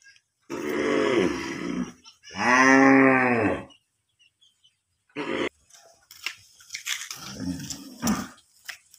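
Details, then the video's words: Cow mooing: two long, low harmonic moos, the second stronger and rising then falling, followed by a short grunt and scattered rustling and knocking noises. "Cow Sound ।। cow mooing video"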